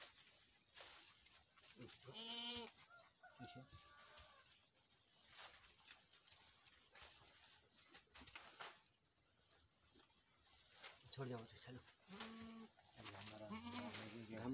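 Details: Boer goats on a farm in Nepal, where a first-time doe has just kidded a male kid. Short harmonic bleats come near the start and again in a wavering cluster toward the end, amid clattering farmyard noise and other clucking-like sounds.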